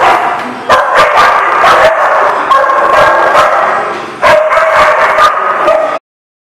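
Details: A chorus of dogs recorded on 17 September 2018 produces overlapping loud barks and yips for about six seconds. A brief dip near four seconds is followed by renewed barking, then the sound cuts to silence.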